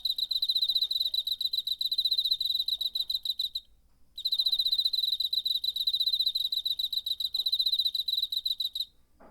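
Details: Cricket singing in September, recorded on a handheld recorder: a bright, high trill of rapid pulses repeated steadily for over three seconds, a short pause, then another long pulsed burst; otherwise quiet background.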